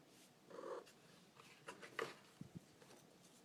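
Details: Domestic cat named Loki making odd noises indoors for no apparent reason: a short, nasal harmonic mew lasting a third of a second, followed by a brief chirp-like note and a few soft thumps in a quiet room.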